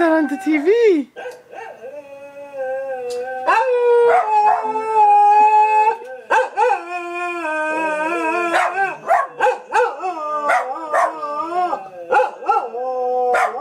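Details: Pet dog named Mira joins in with an ambulance siren, her howl sliding up and down in wavering rich tones, mixed with choppy short yelps and rising whines toward the end.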